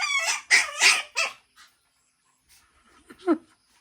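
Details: Shih Tzu x Pomeranian barking on meeting another dog, a quick run of four high-pitched yaps, then a pause and a short soft whimper.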